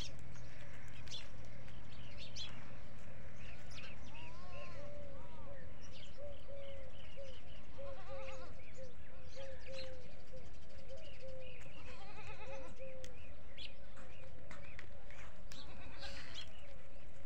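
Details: Desi goats on a goat farm with many goats, giving a few short, wavering bleats spread through the recording over steady background noise, with faint chirps from small birds.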